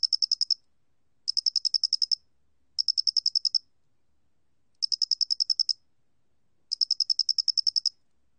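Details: Repeated bursts of rapid, high, metallic pulses from a square-headed cricket, each burst under a second, with gaps of up to two seconds; a 2020 National Institute of Biological Resources recording in Korea.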